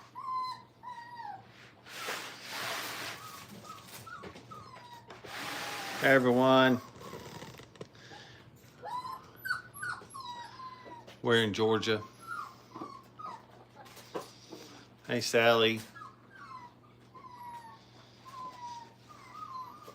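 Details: Brittany puppies, five weeks old, learning to crate train, give repeated short high whines and whimpers, broken by a few louder, harsher harmonic yelps, in a small room.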